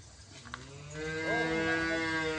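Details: A dwarf calf lowing: a drawn-out, harmonic-rich moo swelling after about one second and held steadily to the end, over faint background noise.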